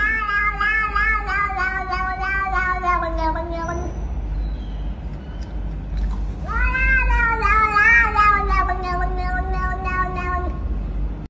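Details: Domestic cat from a funny cat compilation producing two long, slightly falling meows separated by a pause, against steady low background rumble and faint other sounds.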